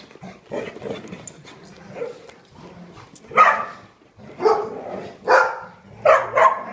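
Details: Several dogs at a daycare's big side; soft scattered barks early, then four loud sharp barks spaced roughly a second apart toward the end.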